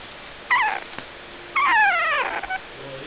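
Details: Two puppies, one brown and one black, vocalising: two high, harmonic whines, the first short and falling, the second longer with a descending wavering pitch, then a faint low sound.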